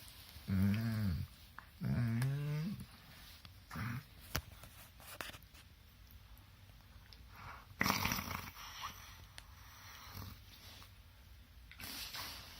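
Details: During a morning wrestling session between two dogs, two drawn-out moaning grumbles rise and fall within the first three seconds, followed by scuffling thumps, rustling and quieter breathy noises indoors.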